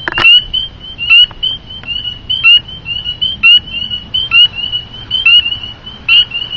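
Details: Spring peeper, about the size of the upper half of a thumb, calls up close at night from under a deck, with piercing, high, brief upslurred whistled peeps about once a second, unevenly spaced, faint clicks between; these frogs call from dusk until dawn.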